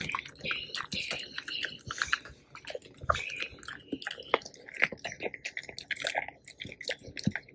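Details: Tico, a black Labrador, and Remi, a yellow Labrador, both male, chew a whole raw duck head. Soft, crackly mastication repeats rapidly in a small room, with a murmur of human speech mixed in.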